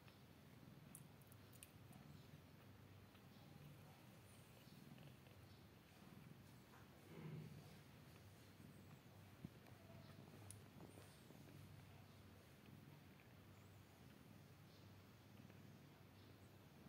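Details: Newborn kitten on day 16 purring: a soft, low, continuous rumble that stays steady throughout, quiet, with faint room hiss and a few light clicks.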